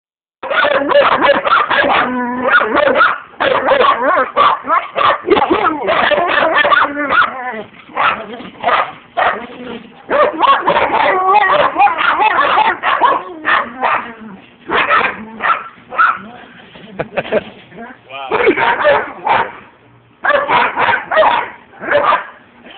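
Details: German Shepherd and Siberian Husky attacking, recorded on a phone: dense, loud barking and snarling bursts, nearly continuous with short gaps, harsh and broadband, with some human voices mixed in.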